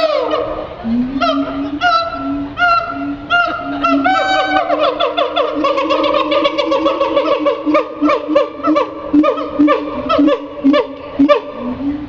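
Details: Siamang at the Henry Doorly Zoo giving a loud series of rising, whooping hoots with strong harmonic tones.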